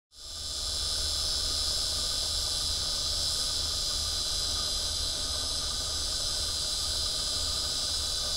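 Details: On 12 September 2011, a cicada sings from a tree by the Arkansas River, an unbroken, shrill buzzing hiss, bright and even throughout, over a soft low rumble of running water.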